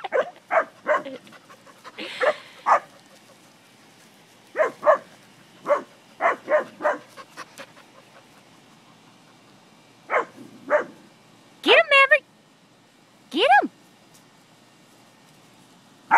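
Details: English springer spaniels at play with cattle, giving clusters of quick yappy barks, then high, ringing yips with a rising-falling tone near the end, while people laugh and cheer them on.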